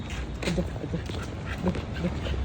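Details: A Siberian Husky gives short, low, voice-like yips and grumbles in quick bursts.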